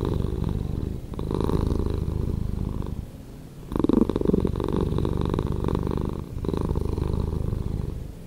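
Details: Domestic cat purring, slowed down, a thick low-pitched rumble pulsing in three phrases with short quiet breath gaps between, the middle phrase starting slightly louder.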